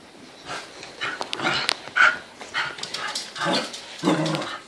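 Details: Excited Corgis let out uneven bursts of sharp barks mixed with higher whining yelps, about one every two seconds, triggered by hearing the word "dinner", as happens at every one of three daily meals; a person's voice is faint.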